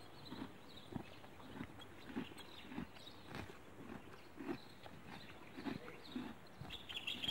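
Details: Horse grazing on grass outdoors, with soft crunchy tearing and chewing bites repeated about every half second against a quiet hiss of rural background.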